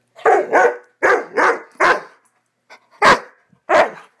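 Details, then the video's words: Swiss Mountain Dog puppy named Bower in one of his wild "bad dog runs": six loud, harsh barks in about four seconds, spaced unevenly in pairs and singles, with a faint short yip between them. "Swiss Mountain Dog Epic bad dog run"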